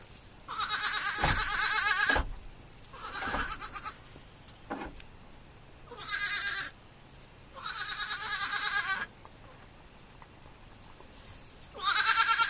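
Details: Baby goats on a farm bleating: five quavering, high, nasal bleats, each about one to one and a half seconds long, separated by short pauses, with a faint breathy sound between them.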